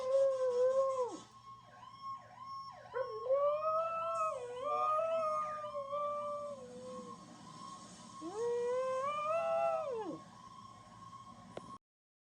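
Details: A young mixed-breed dog, one year old and part chihuahua, pitbull, German shepherd, Jack Russell and rat terrier, answers fire truck sirens with repeated arching, quavering howls in a rapid series and then one long rising-falling howl, over a steady siren tone.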